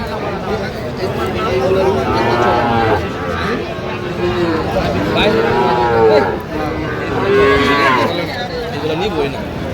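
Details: Several Sahiwal bull calves, Mymensingh, Bangladesh, on 11 October 2025, giving a run of short bowed moos, some louder and drawn out, over steady background voices and crowd murmur.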